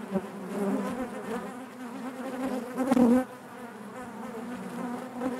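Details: Honey bees humming inside their hive, a constant low drone with harmonics; around the third second one louder bee passes close with a brief wavering, higher buzz before the steady hum returns.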